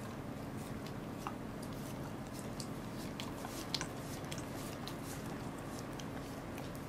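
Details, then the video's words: Welsh Corgi named Goro chewing a fish, recorded 2 August 2014. Irregular crunching snaps and squishy mouth sounds are set against a steady low background hum. "Goro eats a fish. / お魚を食べるゴローさん"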